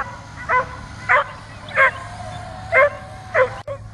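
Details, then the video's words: Dog barking continuously at a drone overhead while trying to jump up and catch it: five sharp barks at uneven intervals of about half a second to one second, over a constant mechanical hum. "DOG BARKING AND JUMPING AT DRONE"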